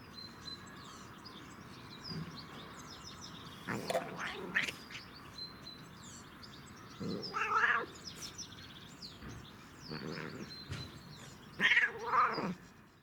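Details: Domestic cat enjoying catnip, uttering a series of short, strained meows and chirrups spaced a few seconds apart, some rising and falling, amid soft background chirping.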